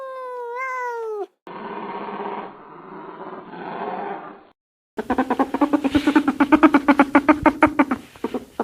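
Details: Cat meowing: one clear, tonal meow lasting about a second, first level and then falling. A rougher, hoarse stretch follows, then a fast run of pulsed, throbbing notes, each starting and stopping abruptly.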